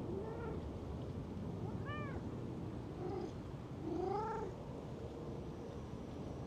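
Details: A cat found sleeping in a park gazebo and being stroked gives four short, arching meows about a second apart, the last one louder and longer, over a steady low rumble of wind or distant traffic.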